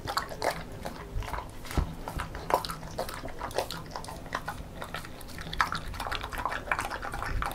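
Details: Female Beagle eating homemade banana porridge indoors; irregular wet smacking and lapping sounds with soft low thumps and a faint steady background hum.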